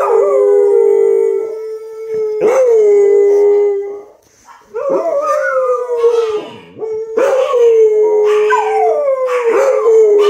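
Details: Several dogs howl as the noontime sirens ring, long sustained wails that swoop upward at each start and then hold level, with overlapping voices and short breaks between waves.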